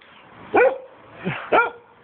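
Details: Giant Schnauzer named Vito barking while playing; two loud, harmonic barks about a second apart with a softer bark between them, background otherwise quiet.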